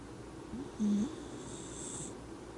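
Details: Miniature Dachshund snoring while pleasantly asleep: a single short wheezy snore with a flat whistled tone lasting about a quarter second, set in quiet breathing and low room hiss.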